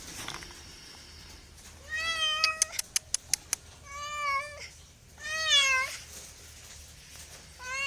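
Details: Repeated cat meows, four drawn-out calls with a slight rise and fall, interrupted by a quick run of sharp clicking taps after the first meow.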